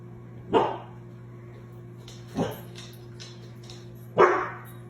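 A German Shorthaired Pointer gives three loud, sharp barks, spaced about two seconds apart.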